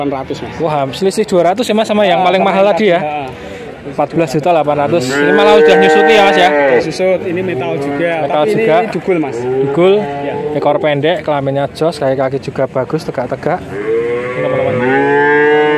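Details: Nineteen male calves traded at a market in Grabag, Magelang, mooing together: arched, wavering calls overlap continuously, some long and steady, others clipped, over a steady layer of human speech and crowd noise.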